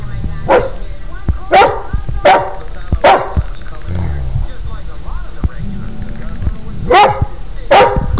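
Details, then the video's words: Counting Border Collie delivering a run of short, punchy barks roughly every second, pausing midway while a person speaks, then barking twice more; quiet speech throughout. "The Counting Border Collie"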